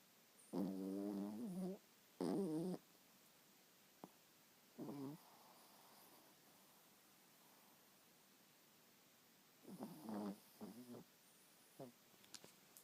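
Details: A seven-month-old chihuahua cross snoring in its sleep. Two strong, rasping snore breaths open the sequence, followed by softer snuffles and short grunting snores with quiet gaps between.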